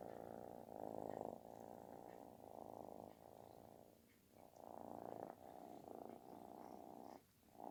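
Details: Snoring-like loud purr from a kitten asking for affection; rumbling buzz holds steadily, dips to near quiet around four and seven seconds, then resumes.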